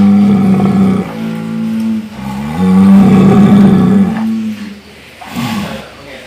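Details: Cow, its voice labelled as snoring, making two long, loud, deep harmonic calls that waver slightly in pitch, followed by quieter rougher sounds.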